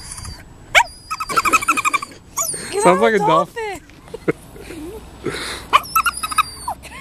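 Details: A Toy Poodle named Max does his so-called dolphin impression, with wavering, harmonic-rich squeals and warbling whines, a bent sliding cry near the middle, and short sharp squeaks at either end.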